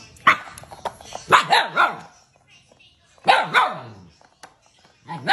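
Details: Siberian Husky puppy, a pet said to get mad, talking back indoors: several bursts of wavering, yodel-like grumbling woo sounds in two clusters separated by a pause, one more starting at the end; a person speaks nearby.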